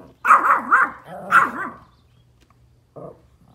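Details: Pomeranian dogs outdoors barking at deer: drawn-out, wavering yowling barks in two long bursts, followed by a short, quieter bark about a second later.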